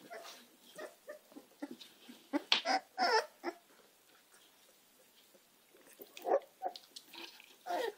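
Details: Puppies of the American Staffordshire terrier breed, Gina and Zeus, making scattered whimpers and short squeaky yelps, louder clusters at the start, middle and end, with quiet gaps between.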